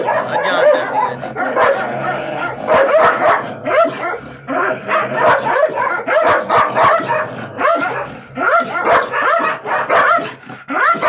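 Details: Gultair and wolfdog confrontation: relentless overlapping barks and yips in quick uneven bursts, loud and crowded throughout.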